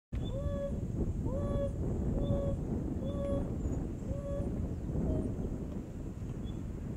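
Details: An African wild dog calls in the bush with soft, flat, tonal hoots about once a second over a low rumble, while four adults of its pack lie alert after a hunt, listening.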